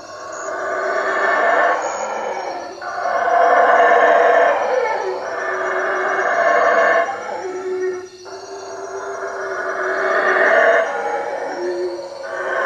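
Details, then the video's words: Several loud, coarse roaring howls from howler monkeys in treetops around a hut at Lake Peten Itza, Guatemala, at night, coming in long overlapping bursts with brief dips between them. "Howler monkeys at night"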